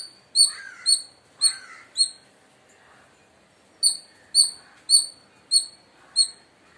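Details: A shy Indian palm squirrel (Funambulus palmarum) gives loud, sharp, high chirps, about twice a second in two bursts. This is a call used to attract palm squirrels.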